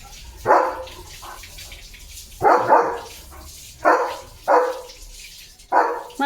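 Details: Leo, a pet German Shepherd, playing with a water mug held in his mouth, gives five short, mid-pitched barks at uneven gaps over six seconds, with a person's voice talking between them.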